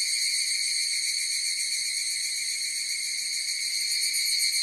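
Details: Higurashi cicadas singing together, a continuous shimmering high-pitched ring layered in harmonic bands, rapidly throbbing around four pulses per second, level and unbroken from start to end.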